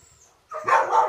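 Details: Pit bull used as a hunting dog for wild boar, giving one short loud rough bark after a moment of quiet.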